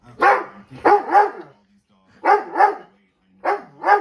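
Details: A Dobermann barks at dogs on TV in short, deep bursts, often doubled, with pauses between.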